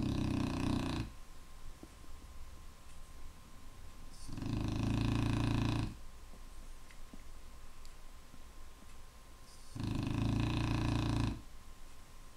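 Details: A Clumber Spaniel snores loudly indoors, with long rasping inhalations lasting over a second each, occurring about every four to five seconds, between quieter breathing. A faint steady hum sits in the background.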